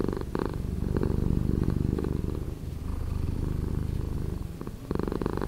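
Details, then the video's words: A house cat's purr, slowed in editing, makes a dense, low buzzing drone with fast pulses throughout, brief brighter bursts at the start and a louder swell at the very end. "Cat Purring"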